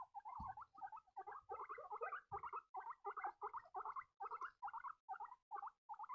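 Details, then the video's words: Several baby guinea pigs pipe in rapid succession, each squeak a short wavering chirp with a bent pitch, repeated roughly twice a second in an uneven rhythm. Two soft thuds sound near the start. "piepende baby cavia's geluiden"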